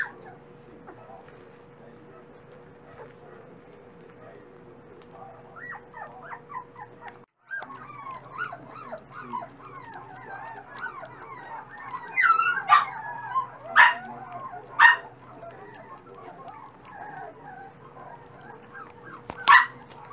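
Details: Several dachshund pups that are eating more every day whine softly at first, then grow louder after a brief break, with sharper squeals and yelps near the end over a low steady hum.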